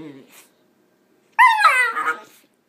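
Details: Wheaten Terrier puppy upset about its bath: after a moment of speech, one loud, high whining yelp falls in pitch and trails into a rough, wavering cry.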